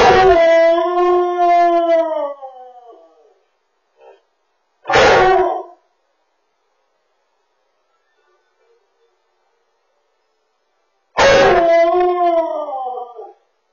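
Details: Lonely male Samoyed wailing after his owner goes to work: a long quavering howl trailing off, a brief sharp yelp, then another sustained howl that bends upward and falls away.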